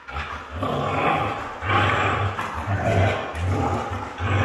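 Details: Red female Siberian Husky letting out a loud, rasping roar-like growl that swells and holds, breaking into several gruff pulses, with a low steady hum in the background.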